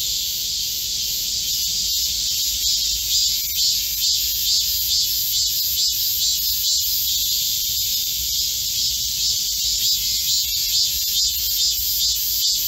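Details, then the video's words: Midsummer forest in Korea, July 2024 heatwave, filled with cicada song: a constant high sizzling drone overlaid with regular throbbing pulses, roughly two per second, steady throughout. "Korean cicadas, a chorus in a midsummer green forest | 한국 매미들의 한여름 초록 숲속의 합창"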